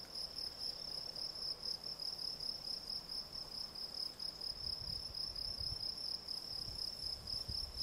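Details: Field cricket, Gryllus campestris, chirping steadily: a high, narrow-pitched tone broken into rapid pulses about four times a second, with a more distant cricket audible beneath and faint low rumbles in the background.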